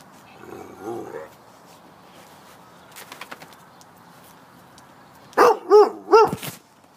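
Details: Deerhound puppy; faint whining yelp early, then three sharp high yappy barks in quick succession near the end, with some background rustling.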